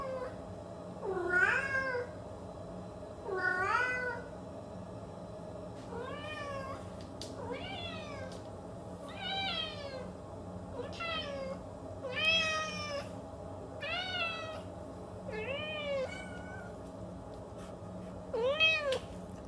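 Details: Cat meowing repeatedly, roughly ten short arched cries arriving every one to two seconds, several pitched higher and more urgent, with a constant low background hum indoors.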